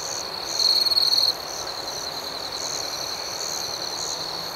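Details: Night crickets trill steadily at high pitch; a louder, rapidly pulsed chirp stands out early, then the chorus settles back to a constant shrill drone.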